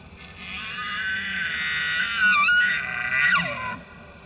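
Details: Elk (Cervus canadensis), bugle: bull's rutting call during the breeding season.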